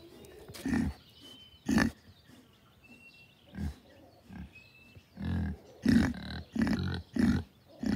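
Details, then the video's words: A female Kunekune pig oinking, with short low grunts repeated at irregular intervals, some in quick bursts toward the end, plus a few faint thin whistles in the background. "Kunekune piggie oinking"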